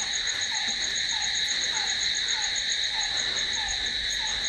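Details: Crickets trill continuously at night in bright, steady high bands. A separate short downward-sliding note sounds about every half second to second in the lower range.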